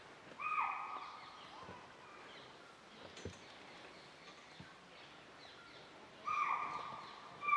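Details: A deer at Bandhavgarh National Park, Tala zone, on a morning of 16 December 2018, gives two loud, harsh alarm calls several seconds apart, warning of an unseen leopard.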